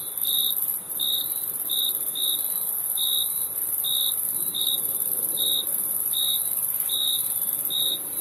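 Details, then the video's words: Chirping crickets give short, clear high notes, about a dozen in eight seconds, some spaced closer than others, over a continuous sizzling high-pitched background chorus. "Crickets Chirping Sound"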